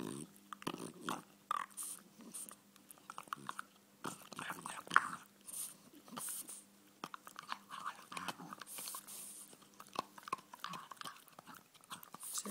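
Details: A male French Bulldog gnawing on his bone produces irregular wet crunches and clicking bites in uneven bursts, with brief pauses between chews.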